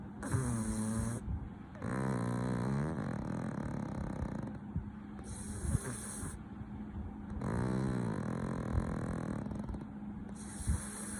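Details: Sleeping pug snoring heavily: rough, throaty, rattling breaths in long drawn-out bursts about every three seconds, quieter pauses between, low rumbling tones dominating, with a steady faint hum underneath.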